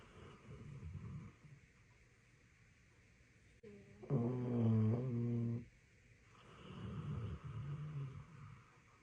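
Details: Sleeping Labrador Retriever snoring indoors: low rumbling breaths, then a louder droning, tonal snore with wavering pitch lasting about two seconds, followed by another rough rumble.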